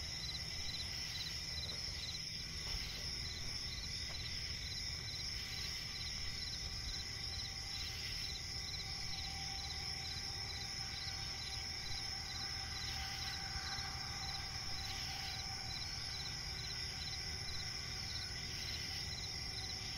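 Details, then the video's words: High, steady cricket chorus from a swampy forest at night, continuous shrill trilling with rhythmic pulses and a few faint lower calls over a low ambient hum. "cricket chirping relaxing sound in night forest"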